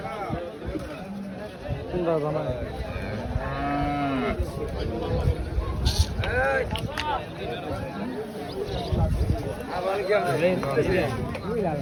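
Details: Cattle at a busy livestock market in Burirpar: a low, drawn-out moo with stacked harmonics rises midway, with fainter lowing nearby, under constant crowd chatter, men's voices and general market bustle.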